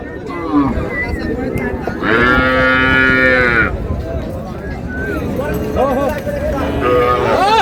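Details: Market cattle with calves, Raniganj hat in Dinajpur, July 2, 2026: one steady, rich moo lasting under two seconds rises out of constant chatter, with brief higher bleats near the end and voices of traders throughout.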